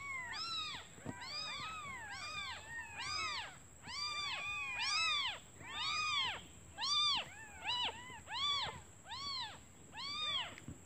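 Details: Several hungry newborn kittens calling their mother, who has gone out for food: a dense chorus of shrill, arched mews, overlapping at first, then more evenly spaced at about one per second.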